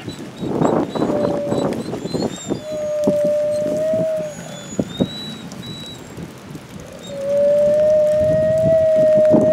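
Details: Fiona leads her brothers Bicho and Kanti howling at Wolf Park as tornado sirens sound in a Sunday Midwest storm; several long level tones overlap, some higher voices join, while wind and rain patter run throughout.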